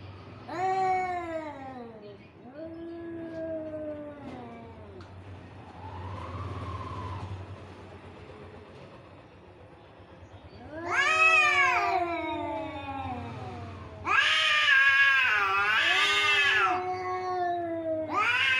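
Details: Cats in a fight produce falling yowls, a quieter moaning stretch over a low hum, then sudden loud screeching bursts with harsh, noisy peaks.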